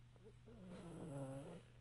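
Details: Pug dog dozing upright on an indoor couch gives a single drawn-out snore, a nasal rattling breath lasting over a second, with a constant low electrical hum underneath.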